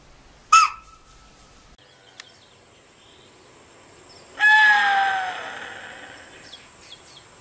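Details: Chital alarm in a forest: one sharp, shrill bark, then after a cut a steady high insect whine and a second, longer two-toned alarm note over a background hiss.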